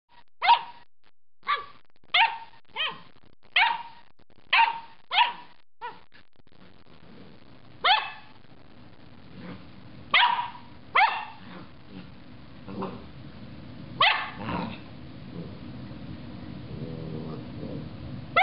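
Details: Loki, a pet dog, barking at the top of a carrot: a run of about ten sharp, evenly spaced barks in the first six seconds, then scattered louder barks mixed with softer grumbles and rustling.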